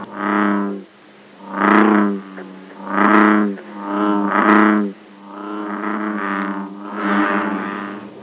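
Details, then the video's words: American bullfrog at a pond, lake or river in Northern Virginia in summer, calling by day and sometimes all night: deep, droning bellows, each about a second long, repeated in a slow series. "finally the bellowing of the bullfrog is a true Sound Of Summer"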